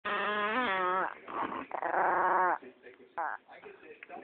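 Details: A pet Chihuahua called Penny, described as evil, growls in a drawn-out, tonal rumble for about a second, then breaks into shorter wavering moans and grumbles, with faint voices in the room.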